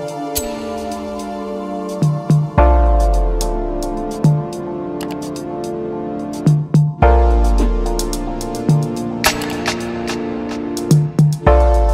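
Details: Electronic music with synthesizer, deep bass hits and drum-machine beats fills the whole stretch, with no animal voice.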